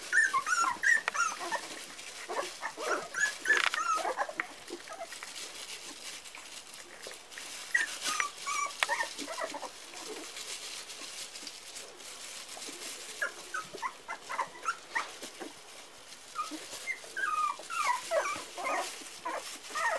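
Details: Parson Russell Terrier puppies, four weeks old, give high thin whimpers and squeaky yips in irregular bursts, some rising and falling, scattered through the recording with quieter gaps and faint rustling between calls.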